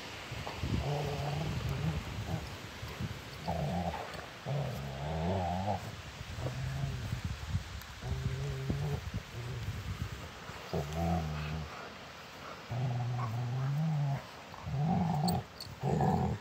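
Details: Rottweilers play fighting, giving deep, rumbling growls in long runs of a second or more, broken by short pauses, with faint scuffling between them.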